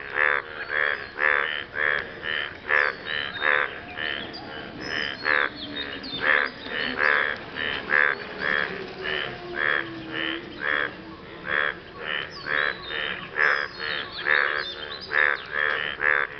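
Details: Frogs calling after rain, a male impressing his partner: rapid, harsh, nasal croaks with a buzzy ring, repeated about once a second in an uneven run for the whole stretch, with overlapping callers.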